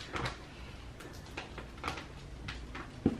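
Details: Indoor clattering with soft knocks and a sharp bump near the end, like a wire cage being handled in a small room. No animal voice is heard.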